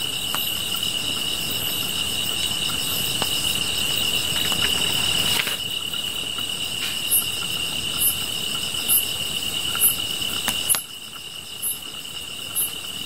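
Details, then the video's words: Grass insects calling beside a fire: steady high-pitched ringing trills run throughout, with very high chirps repeating about once a second in the latter half, over a rushing background and sharp crackling snaps. "풀벌레 소리"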